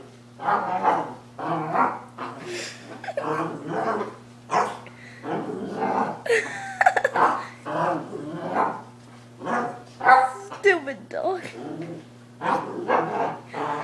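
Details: Pet dog indoors after a walk outside, making pig-like snorting and grunting noises in quick irregular bursts, some rougher and growly, over a steady low electrical hum.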